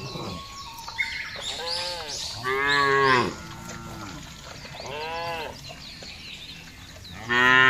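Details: Cattle herd driven over a wide grassy field in a calm rural setting; a series of harmonic moos, some short and wavering, one loud sustained bellow midway, and another beginning at the close.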